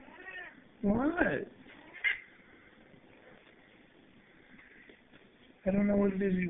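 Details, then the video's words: Indoor male cat making the sharp yaps his owner calls barking, demanding a laser pointer game, filmed on a low-resolution phone: a rising-and-falling harmonic yowl, then quiet, then a longer steady yowl, with a man's voice asking questions. "my bossy barking cat"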